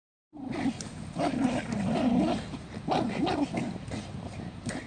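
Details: Jack Russell Terrier from a 2017 compilation of funny pet moments, giving a low, wavering growl-like grumble in drawn-out rising and falling phrases, with a few sharper yelps on top. The recording is indoors and fairly close.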